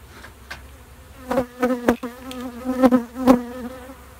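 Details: Honey bees at a bee shed, buzzing in close passes: a low, steady-pitched drone with stacked overtones swells and fades in several bursts over a few seconds, the loudest near the end, over faint background hum.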